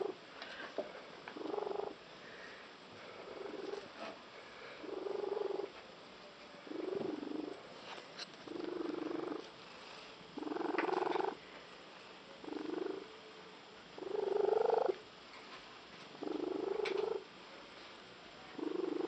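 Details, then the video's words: Female cat with an unusual purr said to resemble a tree frog, growing intense; about eleven shorter, softer pulsed buzzy bursts repeated at a steady pace with brief quiet gaps. "the cat with the unusual purr"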